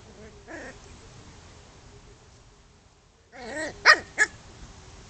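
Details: Chow chow dog at play: after a quiet stretch, a short burst of whining, wavering vocalising that rises into two sharp, high yips near the end, with faint whimpers earlier.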